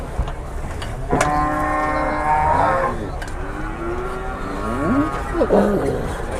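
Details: Large cattle being unloaded from a truck at Muntilan market, Indonesia, during Lebaran Kupat; a drawn-out moo followed by shorter rising and falling lowing calls amid voices and market noise.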